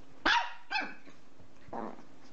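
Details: Dog barking during play: a sharp high bark followed by a softer second bark and a muffled third, over a steady low hum.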